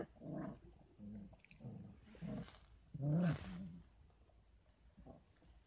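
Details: Young Kangal puppies, 33 days old, at a Kangal farm where they receive goat milk and formula alongside mother's milk; low grumbling moans and muffled yelps repeated about every half second, one louder drawn-out cry, steady background hum.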